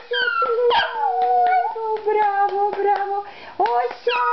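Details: A Lhasa Apso Shih Tzu dog howls in long, sustained, slightly wavering tones, dipping and rising, broken by short clicks and a few higher yelps near the end.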